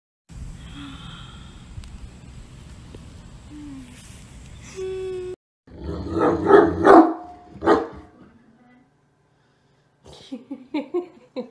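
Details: Great Dane in a funny pet compilation: soft, thin whining tones at first, then a short silence before a cluster of loud, harsh, deep barks. Brief clipped vocal bursts follow near the end.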